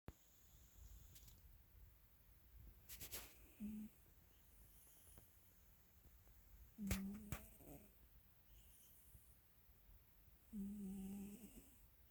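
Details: YuSo, a pet cat, asleep at home in Pelham, Ontario, April 8, 2022, snoring: three short low nasal snores with faint overtones, spaced three to four seconds apart, in a quiet room with occasional small clicks.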